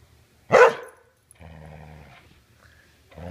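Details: A Border Collie that refuses to give its ball back makes one sharp, bright bark-like yelp. Half a second later comes a low, droning, harmonic grumble, with a second grumble starting at the end.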